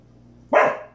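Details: Sophie Bear, a Samoyed, lets out a single short, sharp bark indoors. It is loud and harsh, with a bright rasp, and fades quickly after half a second. A steady low hum fills the room beforehand.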